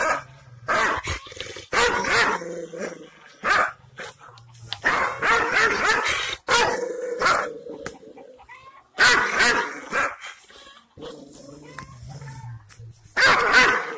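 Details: Angry Kangal shepherd dog (Aksaray Malaklı) in Anatolia, Turkey, reacting to strangers it has never seen. Loud barks come in irregular volleys, with lower growling tones in the gaps.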